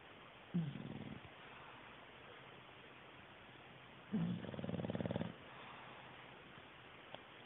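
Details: A male English bulldog, fast asleep, snores in two low, rattling bursts a few seconds apart.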